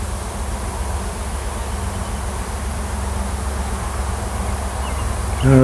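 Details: Wild honey bee swarm in a tree on a farm in Washington; a new queen has left the nest with many workers to find a new home. A dense, steady, low hum fills the clip, and a man's voice starts at the end.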